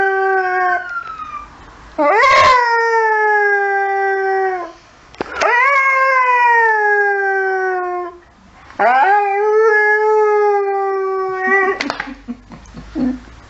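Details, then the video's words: Saluki dog howling at passing emergency services sirens, giving three long sustained howls, each opening with a sharp rising yelp and then holding a steady, slightly falling tone, with brief pauses between. "Saluki Howling at Emergency Services"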